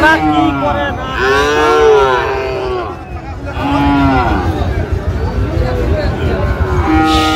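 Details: Sahiwal bull calves, about seven to eight months old, at a cattle market where a Dhaka farmer buys them on 28 February 2025; drawn-out bawling moos with arching harmonics rise and fall in two or three bouts over murmured voices.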